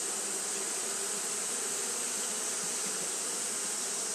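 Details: Continuous fanning by Japanese honey bees in hot weather: a dense, unwavering hum low in pitch, blended with steady shrill hiss.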